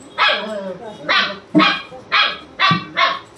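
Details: A German Shepherd barking to wake its owner, six sharp barks repeated roughly every half second, each a short loud burst, with a quiet background between barks.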